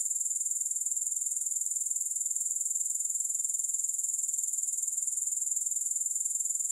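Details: Unbroken grasshopper song: a thin, high buzzing trill beating about four times a second, steady in loudness from start to finish, with nothing else audible.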